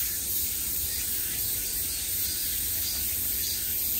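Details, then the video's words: Cicadas filling a summer day with sound from all directions: a steady, high, hissing buzz without breaks, faint low rumble beneath. "매미소리를 들으며 휴식. Cicadas's buzzing sound"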